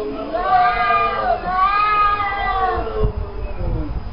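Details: Cats talking to each other: two long, bending meows, the second rising then sliding down, followed by softer low sounds at the end.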